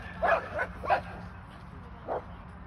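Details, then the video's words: A pet Airedale Terrier, seen running all over the place, gives a few short, high, tonal yips in quick succession, then a single yip after a pause, with a quiet room background. "Airedale Lulu being sneaky"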